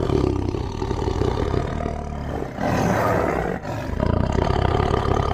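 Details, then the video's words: Tiger giving a long, deep, raspy roar with a throbbing, pulsed texture, briefly easing near the midpoint and dipping again a second later, then swelling back into the low rumbling growl until the end. "Awesome Tiger Voice Sound"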